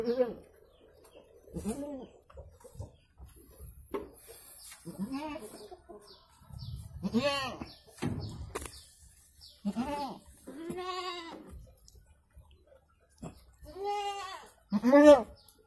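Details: Goat during the birth of two kids, bleating again and again: arched, quavering calls every one to two seconds, some long and shaky, with quiet gaps, faint human voices and soft bird chirps behind.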